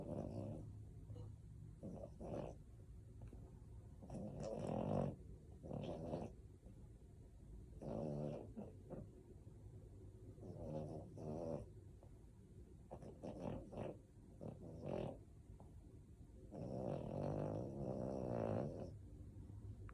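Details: A sleeping male French Bulldog snores deeply, human-like, with repeated low, gravelly rattling breaths in irregular bursts, some longer and louder, separated by quieter pauses over a constant low background hum.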